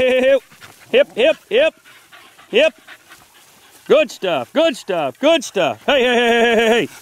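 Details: Four-month-old Beagle pups out in the wild during 2013 training yelp in short, sharply rising cries spaced unevenly, ending in one long steady bay of about a second.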